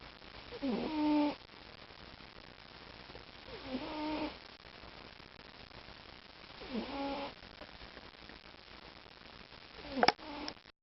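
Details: A male pet cat, described as a loud snorer, purrer and breather, snoring steadily: buzzy, slightly rising tonal snores recur roughly every three seconds, about four in all, with a sharp click near the end.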